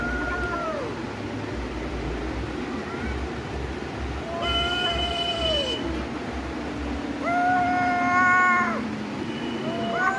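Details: Domestic cats squaring off to fight, giving drawn-out wavering yowls that swell and sag in pitch, several long howls in a row, with a brief steady buzzing tone midway and a low background hum.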